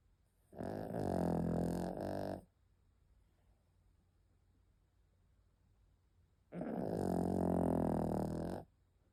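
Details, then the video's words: Sleeping dog Penny snores twice, each breath a two-second raspy, vibrating rumble about six seconds apart, with quiet pauses between in a small indoor room. "Penny the snoring doggy"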